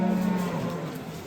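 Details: A Simmental cow at the busy Shahrixon cattle market lows in a deep, even hum that fades out within a second, while traders' voices murmur around it.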